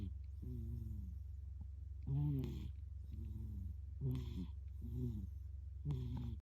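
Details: Sleeping domestic cat at home, snoring loudly in a way likened to a human's; a rumbling, harmonic snore about once a second, some louder than others, over a steady low hum.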